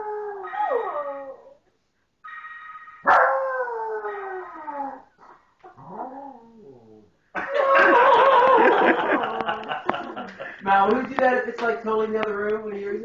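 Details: A pet dog sings along to a ringtone: wavering, falling howls interleave with ringtone notes, then turn into a louder, busier stretch of overlapping yips and howls.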